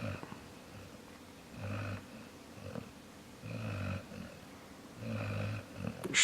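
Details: A sleeping dog named Jaxson snores in a low, rough rumble, three drawn-out snores spaced roughly every two seconds, with a brief sharp noise at the very end.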